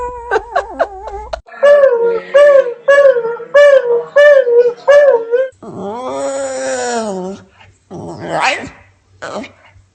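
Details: Dog giving a short series of rising-falling whining yelps, about six in a row, then a longer drawn-out moaning whine and a few rough, breathy sounds in a small indoor room, with human speech at the start.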